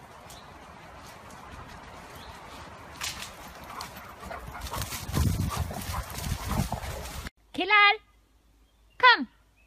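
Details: Alaskan Malamute asking to go out with its friend: after several seconds of noisy rustling, two short harmonic whining calls, each sliding downward in pitch, about a second apart.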